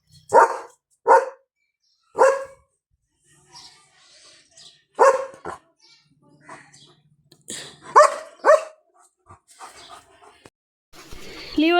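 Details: German Shepherd dog at home giving loud, single, sharp barks, about six in twelve seconds at uneven spacing, with quiet gaps between them and a person's voice at the end.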